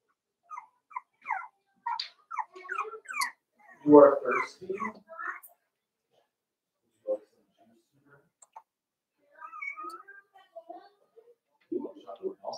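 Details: Five-week-old Cavalier King Charles Spaniel puppies in Daisy's indoor puppy pen give a run of short, high squeaks and chirps, a louder burst of whining near the middle, then scattered thin squeals after a pause.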